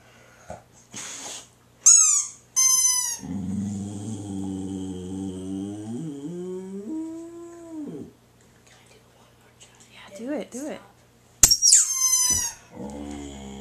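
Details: Boxer dog answering a squeaky toy: several shrill squeaks, then a wavering howl of about five seconds that climbs in pitch, faint human voice, more squeaks and a final low howl.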